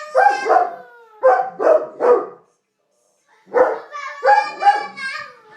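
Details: Domestic dog howling together with a baby boy: bursts of yelping, wavering howls in two groups separated by a second of silence, the child's voice mixed in with the dog.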